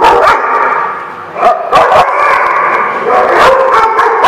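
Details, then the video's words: Dogs barking at a dog lot: loud, overlapping bark bursts come almost without pause, several rising sharply around the middle and near the end, with no quiet gaps between them. "The Barking Lot"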